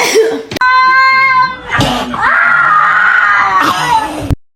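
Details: Kitten meowing indoors: two long, loud, drawn-out meows, the first steady and the second rising, then held level. Each lasts over a second and is separated by sharp knocks.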